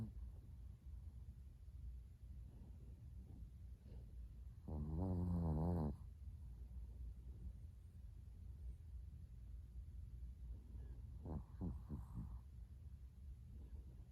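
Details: Chihuahua Latte asleep indoors early on 13 December 2019, his sixth day home after adoption at a Kaohsiung pet expo; quiet breathing, one strong, throaty, vibrating snore lasting over a second, later a few faint snorts.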